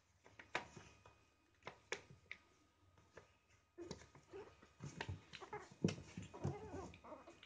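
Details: Three baby Chihuahuas play together in a box. Scattered taps and scratches open, then from midway soft puppy whimpers and small squealing growls come in quick bursts over a faint steady room hum.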